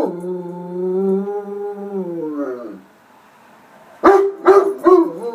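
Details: A dog howling in answer to a tornado siren, one long steady tone sliding down at its close, followed after a pause by three quick barks.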